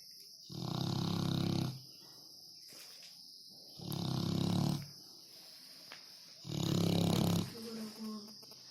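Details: Dog snoring loudly; three long, deep, rasping breaths about every three seconds, each lasting roughly a second, separated by quiet gaps, with a steady high background hiss.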